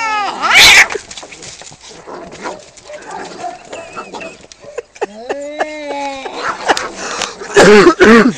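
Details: Two male cats fighting over territory just outside a home: a loud sharp screech opens, then wavering drawn-out yowls with clear harmonics, ending in intense rising and falling wails.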